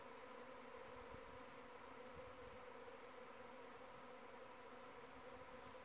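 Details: A constant droning hum comes from numerous honey bees flying in the air around their hive. The layered buzz stays level and continuous, with a few soft low thumps.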